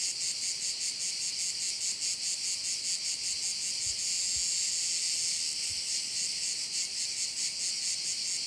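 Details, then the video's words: High, rapidly pulsing drone of many crickets at a bay in Korčula, Croatia, continuous throughout, with a few soft low thumps in the middle. "Korčula - view of one of the bays in Korcula with sounds of crickets"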